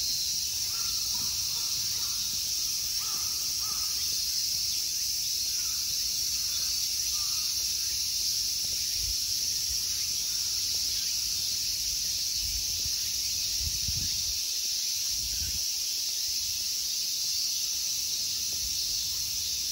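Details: Insects in a summer temple park at Ikegami Honmonji, Tokyo, Japan: a dense, unbroken high shrilling buzz fills the whole stretch, with a few faint crow caws in the first seconds and soft low rumbles.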